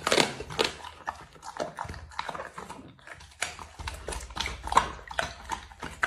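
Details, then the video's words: A dog eating food: wet chewing, crunching and smacking in quick irregular bursts, several bites per second with short pauses between them, close up in a quiet indoor space. "dog eating food"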